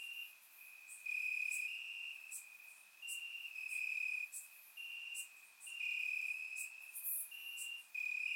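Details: Night chorus of crickets in summer grass, Bulgaria: continuous shrill trill holding one high pitch, growing louder in bursts lasting about a second, several insects overlapping, with scattered faint clicks above.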